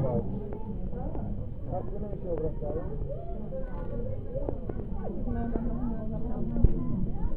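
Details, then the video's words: Colony of South African fur seals: many deep, harmonic bleats and moans overlap into a steady rumbling din, with a few sharp clicks or knocks scattered through it. "Kotiki afrykańskie | South African fur seals"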